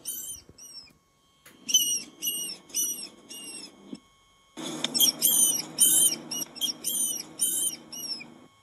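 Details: Rat squeaking: short, high, thin squeaks in quick runs of four or five, pausing for a moment before each new burst. A low rustling hiss sits underneath.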